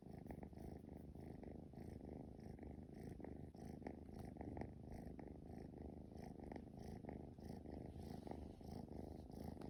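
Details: Young male Scottish Fold cat, straight-eared type, purring during play: a low, throbbing, continuous hum with quick regular pulses, steady throughout without pauses.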